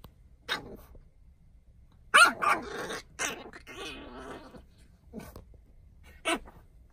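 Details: French Bulldog in a goofy mood acting like a gremlin, giving short broadband grunting barks and rough growly bursts in irregular clusters separated by quiet gaps.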